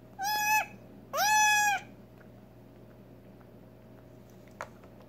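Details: Two loud, high, nasal bleats about half a second apart from a female Nigerian Dwarf goat kid just over six hours old, syringe fed colostrum because she cannot yet feed or walk unaided; a faint click follows in the quiet afterwards.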